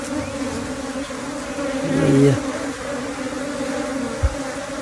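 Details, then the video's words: Buzzing of a honey bee swarm during capture: a constant low hum layered with a higher harmonic band, a short louder burst of low sound around the middle, and a single knock near the end. "Catching a swarm of honey bees"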